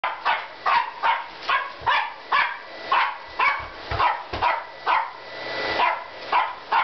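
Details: A Corgi barks at a vacuum cleaner in quick, sharp bursts, roughly two each second, without pause.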